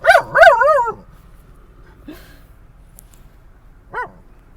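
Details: Dog barking at other dogs near a San Diego dog park at sunset: two sharp barks and a drawn-out whining howl at the start, quiet with faint rumble, then one lone high yip.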